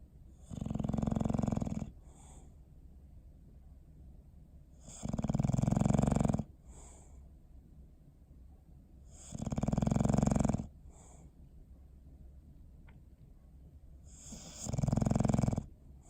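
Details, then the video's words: Bowser, a pet dog, snoring while asleep indoors on December 21, 2019; loud rasping snores come in long bursts about every four seconds, each with a soft puff of breath afterward, in a quiet room. "Sleepy Snoring Face"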